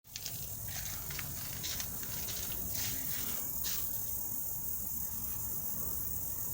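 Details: An unidentified insect whose maker the recordist has long wanted to find out keeps up a steady, high, hissing drone over soft low rumble.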